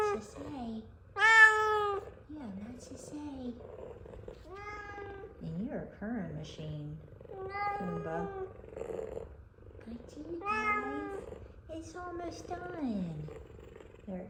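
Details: Two F2 Savannah cats waiting for chicken: Kumba gives a steady, loud, low purr while Zara gives loud, rising-and-falling meows and chirrups.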